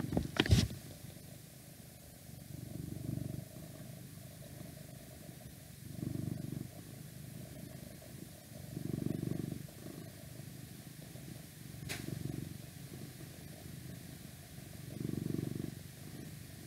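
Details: Male domestic cat purring close up: a low, rumbling purr that swells into a loud burst about every three seconds with each breath, quieter between bursts; a sharp click near the start and faint outside noise.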